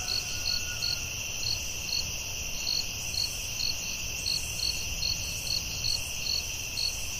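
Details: Crickets at night in a forest, a steady high ringing drone with rhythmic pulsed chirps repeating about twice a second over a constant background hum.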